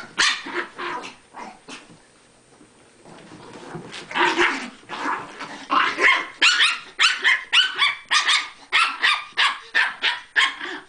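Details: , Chihuahuas playing: scattered yaps at first, a quiet pause, then a fast run of shrill barks that keeps going to the end.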